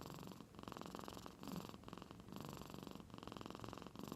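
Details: Sleeping cat from Aichi Prefecture, Japan, in deep slumber, snoring like an old man; a fine vibrating purr-like rattle rises and falls across three breaths.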